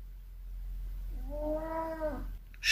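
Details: Oriental cat indoors demanding to be let out onto a cold balcony, giving a short, slightly rising harmonic meow in the second half, a low hum beneath and a sharp noise at the end.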